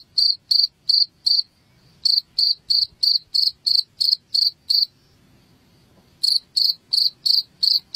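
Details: High, piercing cricket chirps meant to chase rats away indoors in Indonesia: bursts of rapid pulses, about three per second, interrupted by two pauses of one to two seconds.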